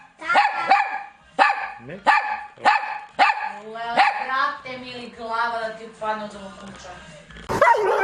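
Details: Pet dog barking in a fast run of harmonic, yelping barks about every half second, fading into drawn-out, voice-like tones with speech nearby and a burst of noise at the end.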